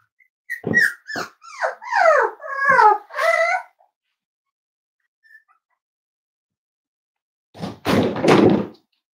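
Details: Cavalier King Charles Spaniel puppy, five weeks old, from Myra and Remy's litter, indoors during a weight check. A burst of rapid falling yelps and whimpers lasts about three seconds, then silence, then a loud thump of handling noise.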